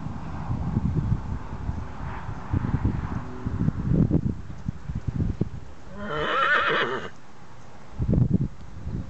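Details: Grey Tennessee Walking Horse pleasure mare, 15 years old, not ridden in over a year, carrying a young rider. Rumbling hoofbeats and movement noise, then a single bright whinny of about one second, followed by more thudding steps.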